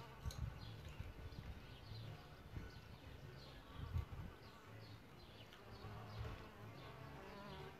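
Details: Solitary bees nesting in a bug hotel give a low, steady buzzing hum that swells and fades with passing wingbeats, with a few brief louder bursts near the start and around four seconds.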